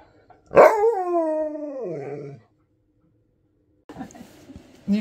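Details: Husky demanding more treats gives a loud drawn-out harmonic moan that starts high and slides downward over nearly two seconds, followed by silence and then faint rustling and a person's voice.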